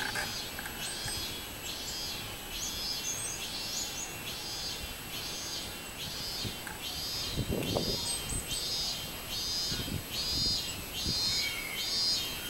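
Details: Robust cicada (minmin-zemi) singing on 24 July 2016: buzzy high pulses repeated roughly once a second, steadily throughout, over a constant high hiss of other insects, with faint low thumps.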